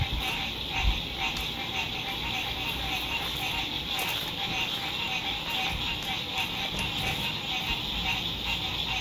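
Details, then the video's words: Spring sunset frog chorus at a lakeside RV camp, 2021: steady, thick, high-pitched trilling from many frogs filling the air, with low rumbles of distant road traffic underneath. "Sunset Frog Songs"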